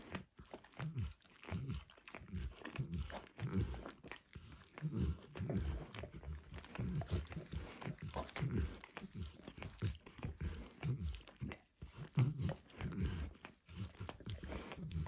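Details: Max the dog enjoying egg and diluted peanut oil on a bumpy orange lick mat: steady, moist lapping and smacking with short pauses, low-pitched and close, no voices.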